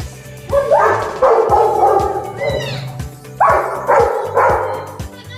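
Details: A Rottweiler playing with a balloon gives deep, gruff barks at it in short bursts over background music.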